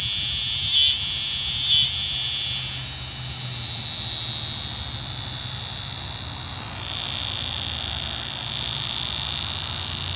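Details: Eastern scissor-grinder cicada (Neotibicen winnemanna) during unusual courtship behaviour: a loud, high, continuous buzzing drone with two brief dips in the first two seconds, then a steady hum that eases slightly in volume toward the end.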